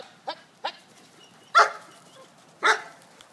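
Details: Female German Shepherd playing football, running a route and catching a pass; four short, sharp bark-like bursts, two small ones then two louder ones about a second apart, over a quiet background.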